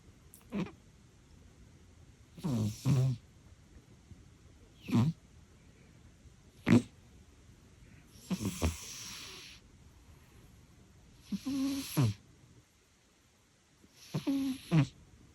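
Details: Pet cat, an old female, snoring in deep sleep: repeated low gravelly snores, some doubled or drawn out, every one to two seconds over a quiet room, with a brief silent gap near the end.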